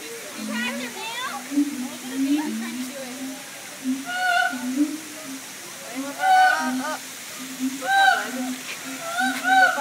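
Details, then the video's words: Siamang apes at the Tampa Zoo sing with a steady low droning pulse beneath loud, rising, harmonic whoops and barks. "Siamang apes singing at the Tampa Zoo"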